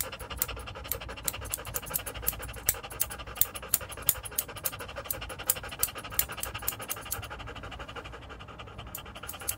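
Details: Joe, a standard poodle, at a grooming salon in Paris's 8th arrondissement, pants in quick, breathy bursts of about three per second. The rhythm is uneven, with faint background hum in the room.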